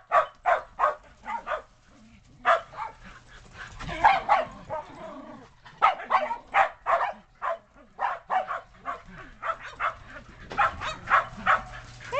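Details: Sheltie dogs excited by snow, 2010, running from the yard up onto the deck; a long run of loud, clipped barks, some spaced, some in rapid clusters, with a brief softer vocal passage near the middle.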